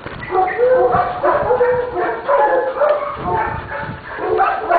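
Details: Young coonhound mix puppy, a few months old, a former stray at an adoption shelter, giving short whiny yips and whimpers over a speaking person.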